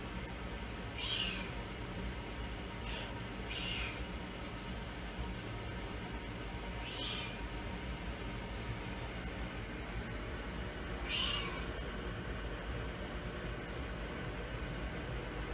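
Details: Munchkin cat Ao, indoors, meowing to get her owner's attention and play while the owner cooks; about four short, rising-falling meows at irregular intervals of two to four seconds over a steady broadband kitchen hiss.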